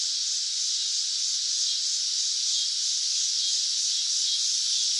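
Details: Summer cicada song as an unbroken, even, hissing high-pitched drone with no clear breaks or other sounds.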